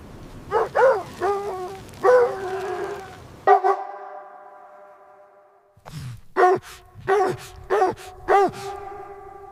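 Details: Dog barking while puppies play with their mother on fresh snow in winter: a run of short, sharp barks and yips with clear harmonics, a few close together, then a quiet gap before another burst of barks.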